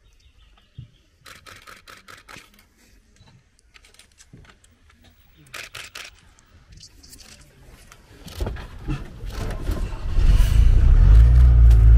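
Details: Rapid camera shutter bursts and soft murmured speech give way to a swelling vehicle engine rumble, with no animal calls.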